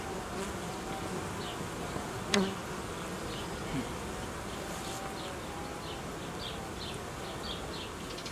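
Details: Hum of a honey bee colony being reorganised by a beekeeper after it raised queen cells and produced royal jelly, in cold weather; a continuous, even droning buzz, one sharp click early on, and faint high chirps dotted throughout.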